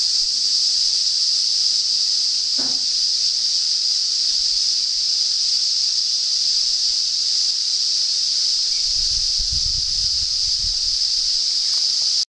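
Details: Chorus of cicadas in north-east Australia at the start of summer, a continuous shrill, even buzz that never pauses, joined by a short click early on and a soft low rumble near the end.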